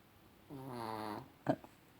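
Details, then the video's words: Chihuahua snoring in the evening: a single drawn-out, buzzy, richly harmonic low tone lasting under a second, then a brief sharp click with a faint echo in a quiet room. "Chihuahua Rocky schnarcht"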